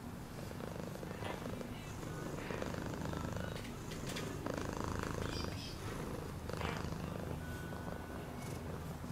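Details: Continuous cat purr, a rough low buzzing rumble with rhythmic inhale-exhale swells, accompanied by occasional soft rustles and clicks.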